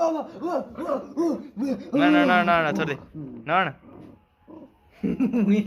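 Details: A two-month-old Bhotia puppy from Mustang gives a run of high, yappy barks, with a person laughing nearby.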